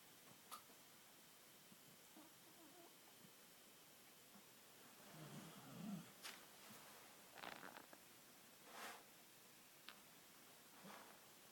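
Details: Sleeping Bull Terrier snoring as it seems to dream, with a man's snoring said to join in. Soft, raspy, breathy snorts come in irregular bursts, strongest midway, over a steady low hiss in a quiet room.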